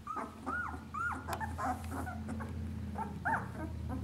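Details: Two-week-old puppies of the dog Lucy nursing, giving high, wavering whimpers that rise and fall, several short whines in the first second and again near the end, over a steady low hum.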